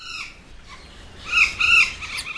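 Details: Cotton-top tamarin held at the Besançon Museum zoo for a breeding programme, critically endangered and wild only in Colombia; faint high chirps, then two louder squeaky notes near the end, sounding almost like a bird.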